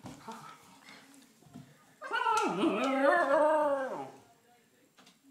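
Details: Female Siberian Husky pup kept out of the house after getting muddy, giving one long drawn-out whine that dips then holds steady before fading, after soft background sounds.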